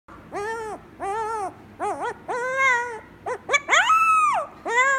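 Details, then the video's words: Koda, a 3-week-old Pomsky puppy, gives its very first howl: a run of short, tonal, wavering howls and yips, some rising and falling, one longer arched wail near the end, with brief gaps between. "Pomsky very first howl, adorable."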